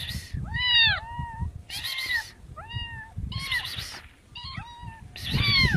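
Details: Cat meows, several short arched harmonic calls in quick succession, some overlapping with broadband noise bursts, over steady low rumbling background noise throughout.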